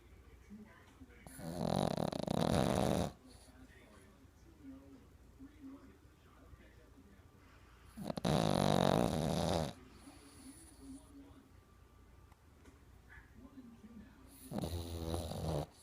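A Boston Terrier snores in long, rasping breaths spaced several seconds apart.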